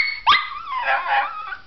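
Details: Pomeranian giving a brief yelp that slides into a drawn-out, wavering whine lasting over a second, indoors as its owner says goodbye.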